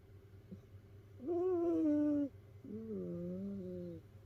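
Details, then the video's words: Whistly snores from a sleeping domestic cat in a multi-cat household of rescued cats piled together; two long, piping tones, the first higher and slightly falling, the second lower and wavering, over a low background hum. "猫のいびき who?snoring cat."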